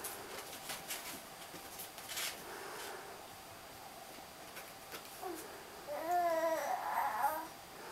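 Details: Three-week-old Siberian Husky puppies indoors: soft rustling and shuffling for several seconds, then a wavering, warbling whine with a rising and falling pitch for about a second and a half near the end.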